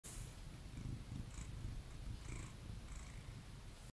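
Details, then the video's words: Domestic cat purring steadily indoors, a continuous low rumbling throb that runs through the whole recording with soft rhythmic pulsing and faint higher clicks. "Tyga purrs"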